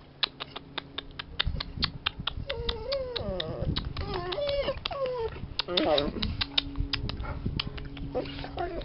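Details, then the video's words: Jessy, a pet Bernese Mountain Dog, bored indoors, gives wavering high whines that rise and bend between clicks and taps, with her name called by a person nearby. "Jessy (Bernese Mountain Dog) is bored with me"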